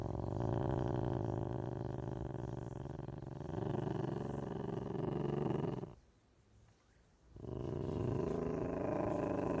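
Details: Ocelot producing a steady, deep throbbing rumble with fast, even pulses, broken by a short silent pause of about a second before continuing.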